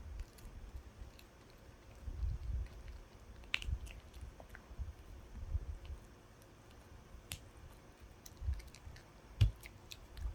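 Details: A dog gnawing on a dog chew: soft, irregular low crunching bursts every second or so, scattered with sharp clicks and snaps, quiet between bites.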